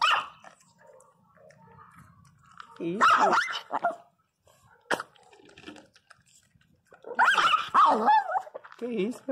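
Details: Angry Pinscher named Teco barks in two loud bursts, harsh barks with wavering, yelping tones, the first around the third second and the second near the seventh, while a woman talks to him between bursts.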